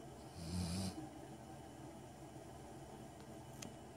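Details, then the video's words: Kyna, a Golden Retriever, snoring while asleep: one low, rough rumbling breath lasting about half a second near the start, then only faint room hiss. "Kyna the Golden Retriever that snores"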